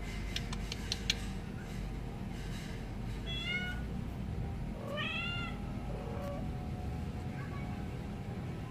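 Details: Kittens give two clear meows about two seconds apart, each bending up then down, after a few soft clicking taps at the start, with a constant low hum underneath.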